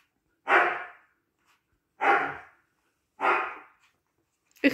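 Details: Siberian Husky puppy barking indoors: three loud, rough barks spaced roughly one and a half seconds apart, each fading quickly, followed by the start of a fourth sharp sound at the end.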